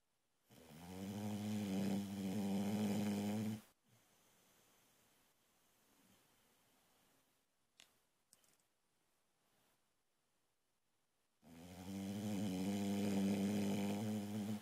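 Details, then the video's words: Boxer puppy, female, asleep and snoring loud enough to wake her owner: two long droning snores about eight seconds apart, separated by soft breathing and a couple of small clicks. "Sleeping Boxer Snores"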